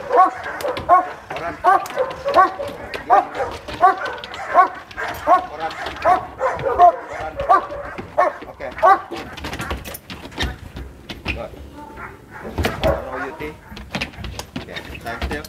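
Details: Fierce sport dog at Vom Almere Dog Training Centre barking hard in rapid, fairly steady bursts, roughly one to two barks per second for about nine seconds, then shouting voices, scuffling and scattered sharp knocks take over.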